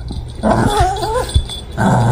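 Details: Boston Terrier on a sofa asking to play tug-of-war: a thin, wavering whine that rises and dips over about a second, over loud low rumbling and handling noise.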